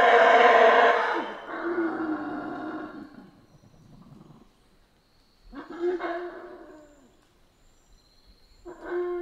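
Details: Central American rainforest howler monkeys give a loud harsh roar that fades into a low drone, followed by two shorter guttural bursts separated by near silence.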